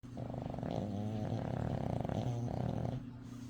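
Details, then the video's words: Pet dog asleep, snoring steadily in a low, rattling drone with a buzzy throb across about three seconds, quiet room otherwise. "My Dog Snoring"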